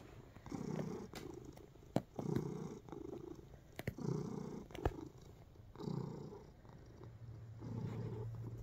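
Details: Relaxed indoor cat kneading while purring, a deep rumbling purr in separate bursts about every second and a half, with crisp clicks and scratchy rustles from the paws and a short low hum.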